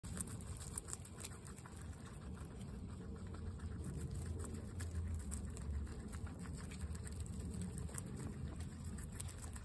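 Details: Several guinea pigs eating carrots: steady crunchy chewing and nibbling clicks throughout, low rustling underneath.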